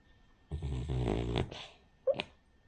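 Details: Cavalier King Charles Spaniel named Rin, a flat-nosed breed, snoring while asleep; one long rough, low snore with a ladder of harmonics, a short breathy follow-on, then a brief faint snort.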